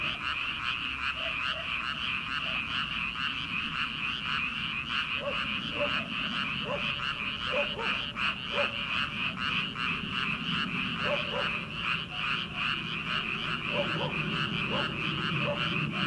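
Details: Chorus of frogs in flooded rice paddies in early summer, prior to transplanting, a thick wall of quick repeated croaks pulsing steadily throughout, punctuated by scattered short, sharp notes in the background.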